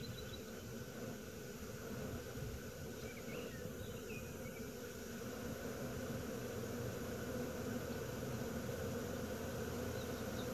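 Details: Swarming honey bees in Wisconsin in June 2016 make a steady, dense droning hum with an even low tone throughout, and a few faint bird chirps come through near the middle.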